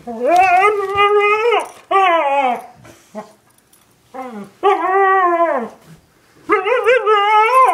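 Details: Two pet dogs indoors, a one-year-old husky and an eight-year-old German shepherd mix, giving long wavering howl-like vocalisations in bursts of one to two seconds, with short yips between, in a small room.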